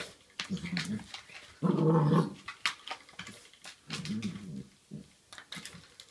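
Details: Black Labrador Retriever puppy named Kelly playing with a door stop indoors, giving low rumbling growls in short bursts, the loudest near the middle, between scuffling clicks and thumps.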